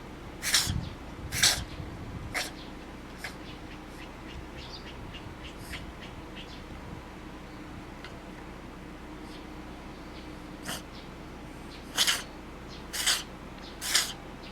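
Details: Domestic cat suddenly sneezing hard again and again, nose running heavily: seven short, sharp, hissing bursts, three in quick succession, then a long pause with faint sniffles, then four more. Steady low room hum underneath.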